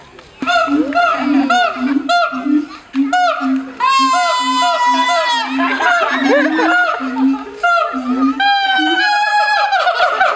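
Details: Siamangs at Honolulu Zoo in 2012 call in full chorus: steady low booms about twice a second beneath bright rising barks and quavering shrieks that climb high and repeat in bursts.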